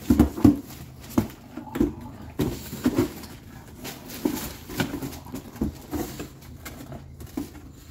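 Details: Baby bulldog throwing a teething tantrum: short, low, throaty grunts and yelps in uneven bursts, loudest at the start and again near three seconds, with soft rustling between them.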